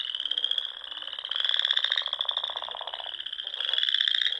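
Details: Frogs singing at dusk in spring among small lakes and ponds in the rolling dunes of the Sandhills, Nebraska: a dense chorus of high, pulsed trills that overlap steadily, swelling louder midway and again near the end.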